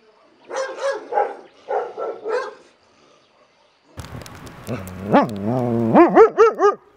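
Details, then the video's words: Dog barking: a few husky, clipped barks in pairs, then after a pause a string of high, tonal yaps that rise and fall, quickening toward the end. "Szczekanie psa"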